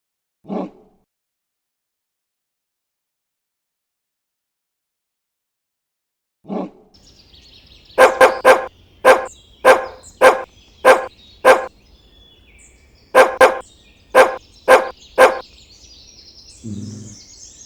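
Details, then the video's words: Dog barking: a single bark, another after six seconds, then a fast run of loud, evenly spaced sharp barks in two bursts, ending with a low growl-like sound. "Animal Sounds of Dogs Barking"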